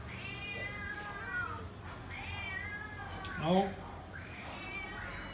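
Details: Several cats and kittens calling as they wait for tasty food, with repeated drawn-out meows, one louder and lower cry in the middle, and faint background noise.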